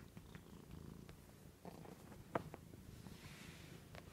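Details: Joan, a female domestic cat, purrs on a couch arm; a brief, close, low rumbling purr with one sharp click midway and faint rustling.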